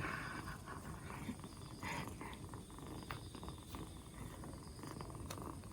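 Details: Black Bombay kitten, two months old, purring on its fourth day after being rescued, recovering from a cold and no longer coughing; low, steady rumbling purr with rhythmic pulses throughout, a few soft clicks and rustles on top.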